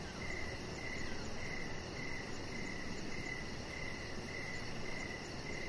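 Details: Outdoor evening crickets, steady chirps repeating about twice a second with little variation, plus faint rapid high ticking and soft background noise.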